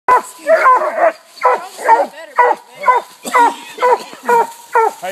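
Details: Several coonhounds (two walkers, a blue tick and a black and tan) barking at a treed raccoon during a night coon hunt; repeated harmonic barks and bawls roughly once a second, overlapping voices, a steady hum underneath.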